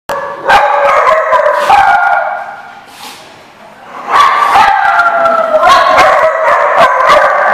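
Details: Several dogs barking and howling together in a busy chorus, loud overlapping yelps and drawn-out howls, a brief lull midway before the pack resumes.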